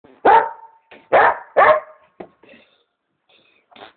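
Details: Pet dog barking and making funny noises: three loud, sharp barks in quick succession within the first two seconds, followed by a few softer, short yips and grunts.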